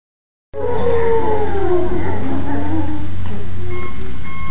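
Wolves give a long, smooth howl that slides slowly downward, answering police sirens.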